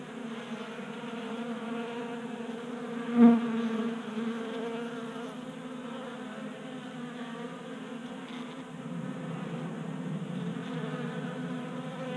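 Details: Honey bees feeding at a 3D printed table-top feeder in a garage in Colorado during a warm January spell; a steady layered buzzing hum of many wings with one brief louder buzz near the start.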